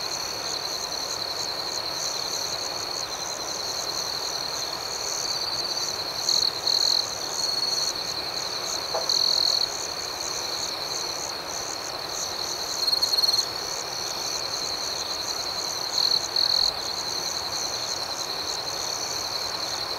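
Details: Night ambiance of chirping crickets: an unbroken high trilling chorus with periodic louder bursts every few seconds and one faint brief lower sound midway.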